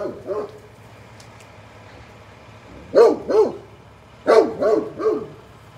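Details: Protective Great Pyrenees giving loud barks at the mail truck, a single bark at the start, then two quick barks and a burst of three, over a constant low vehicle rumble.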